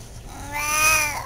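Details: Domestic cat talking with its owner at home, giving one loud drawn-out meow that swells and then fades, with rich bright harmonics over a faint low background hum.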